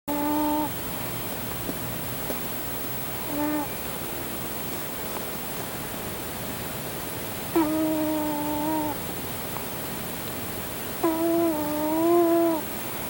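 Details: Male domestic cat snoring while fast asleep on top of a person, indoors: nasal, whistling tones that hold steady or waver slightly, returning with each breath about every three to four seconds, over a constant soft hiss.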